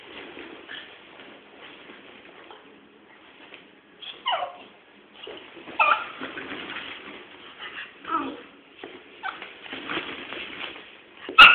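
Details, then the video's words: Two dogs, one little and one big, play fighting, giving short rough growls and yelping barks in scattered bursts, with quiet pauses between and a sharp click at the end. "my little dog and big dog fighting lovely"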